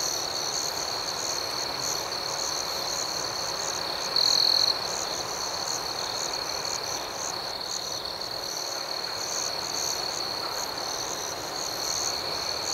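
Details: Night ambience of crickets, a dense unbroken high-pitched chirping chorus with a single short louder trill partway through and a soft, steady background.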